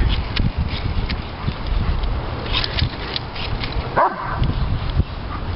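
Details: Diesel, a three-year-old male Doberman Pinscher, throws an excited fit over his beloved bubbles: scattered harsh barks and yips over steady low rumbling, with a brief rising whine near the end.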